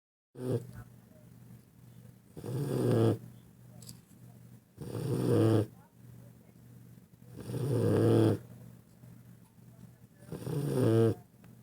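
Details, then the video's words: Sleeping dog or puppy snoring loudly: low, rough, throaty snores with a fluttering rattle, each lasting about a second, repeating roughly every two and a half seconds with quiet breathing between. "epic snoring"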